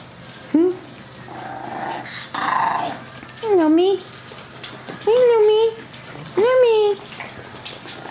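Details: Chihuahua pups and adults: a run of four high, tonal whining yelps, each sharply rising then gently falling and slightly drawn out, spaced about a second and a half apart, with softer murmuring sounds between them.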